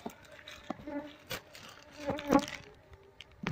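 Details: Honey bee colony being moved from a wild nest into a cardboard box while its queen is searched for; the bees have built a small comb. A steady low droning hum with faint overtones runs throughout, broken by sharp crackling handling noises.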